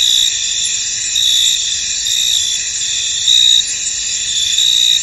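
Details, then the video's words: Cricket chorus from a fog-covered field, a constant high shimmering buzz with louder short chirp bursts rising above it at uneven intervals of about a second. "Tranquil Cricket Sounds In An Misty Field"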